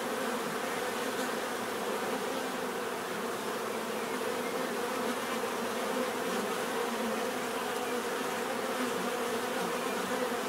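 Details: Steady swarm-like buzzing of bees, a dense droning hum holding constant in pitch and volume from start to finish.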